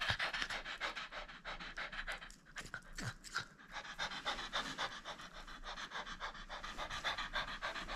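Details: Rapid, steady panting from a French Bulldog at play that will not surrender its toy, breathy pulses repeating about three or four times a second for eight seconds in a small room, with a brief break near three seconds.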